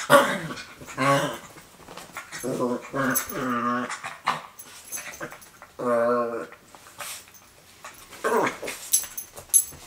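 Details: Pet miniature pinscher giving a run of short, throaty, moaning vocalizations, some rising then falling in pitch, in uneven bursts of about a second each, with a few sharp clicks and soft rustling between them.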